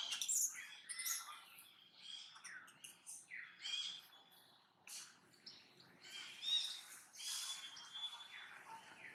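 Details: Brady, a monkey filmed in daily activity, keeps making a puzzling repeated noise: high, arching squeaks and chirpy squeals in quick irregular bursts, some with a thin sustained whistle-like tone, over faint background sound.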